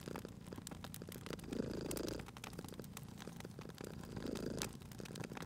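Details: Purring cat near a crackling fire, a quieter rumble surging twice in slow cycles while dense popping and ticking from the flames fills the background.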